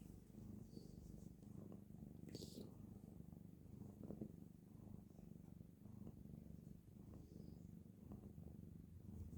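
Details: A sleeping domestic cat snoring: a steady, low rumbling drone that runs without a break through the whole stretch, with faint soft clicks in the background of a quiet indoor room.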